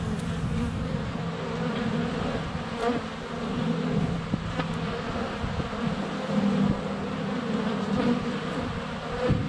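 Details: Close at the hive entrance on a sunny February day, many honey bees fly around a GoPro Hero 7 Black, some landing on it; dense continuous humming drone with shifting pitches and occasional soft taps.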